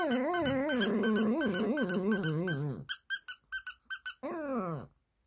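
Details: A Shih Tzu howls sadly in response to a doll's sound, singing in a wavering, sing-song voice that rises and falls in pitch.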